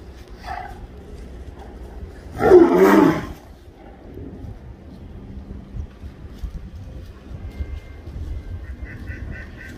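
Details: Fighting tigers being stopped with water: one loud, rough, low roar lasting about a second, preceded by a short higher snarl, followed by quieter rumbling and background noise.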